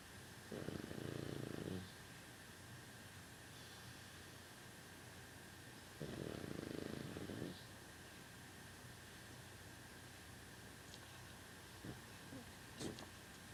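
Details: Sleeping pet dog Rosie snoring indoors: two rough, breathy snores around 1 and 6.5 seconds, quieter than before, followed by small clicks and soft sounds in a quiet room.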